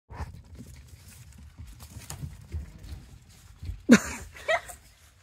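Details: A Chihuahua at bath time gives two short, sharp, loud yelps close together near the end, over quiet splashing and soft handling noise.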